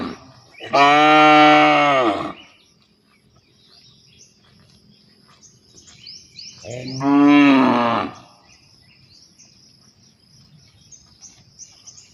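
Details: Cow calling partners to mate: two long, loud moos about five seconds apart, each rising then falling slightly, with small birds chirping and twittering steadily in the background.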